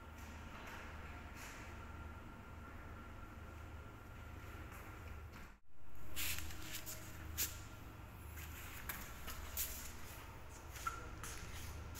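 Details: Quiet indoor hum with low rumble, scattered shuffling and clicking, and a brief loud swell of noise midway; no animal voice is heard.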